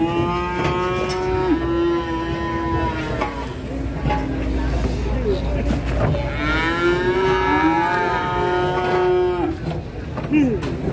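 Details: Cattle raging while being loaded onto a truck: two long, loud, drawn-out moos with rich harmonics, the first lasting about three seconds and the second about two and a half, over a steady rumble of background noise and clatter.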